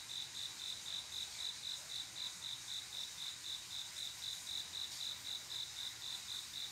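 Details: Night-time cricket song from a calm summer evening, the male's love call to a female; bright high-pitched pulses repeat rapidly and regularly, roughly four each second, with no other sounds standing out.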